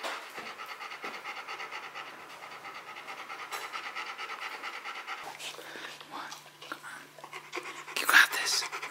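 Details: Rottweiler Bruno, tackling a box maze challenge, breathes in steady rapid panting pulses throughout while a man encourages him with 'come on, you got this'. A sharp clatter comes near the end.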